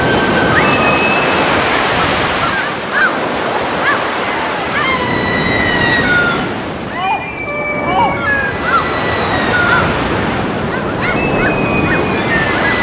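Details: Seals in the wild giving drawn-out, wavering harmonic calls, several voices overlapping in bursts with brief pauses between groups, over constant loud crashing surf and wind.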